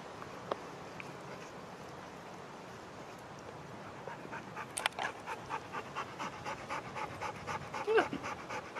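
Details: Dog named Sherpa, living with owners in a van, panting in quick regular breaths from about five seconds on, after a quieter opening with faint background hiss.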